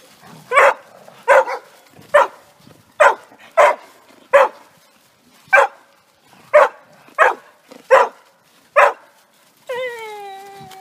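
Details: Dog at a resort's private dog park, off and running, giving a series of sharp, broadband barks about every half to one second, ending in one drawn-out whine that slides down in pitch.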